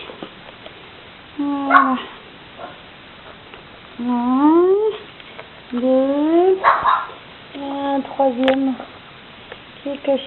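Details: Six-week-old puppies in a pen while their mother rests; drawn-out whines glide upward in pitch, some bending and wavering, mixed with a woman's gentle French chatter.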